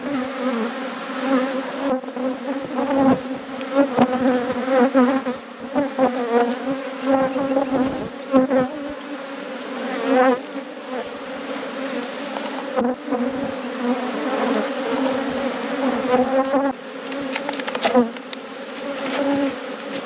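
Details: Colony of honey bees in a thriving apiary, a continuous low buzz with layered harmonics, loudness rising and dipping as bees fly past.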